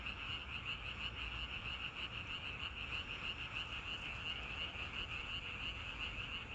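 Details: Short stretch of a natural frog chorus: numerous frogs producing quick, rhythmic pulsed croaks on one high pitch, heard as a continuous throbbing buzz with low background noise.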